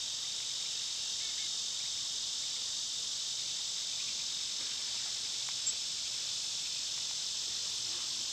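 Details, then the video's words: A summer cicada chorus makes a continuous high-pitched buzzing wash with no pauses, dense and even from start to finish, with one brief soft click near the end. "Cicada sounds"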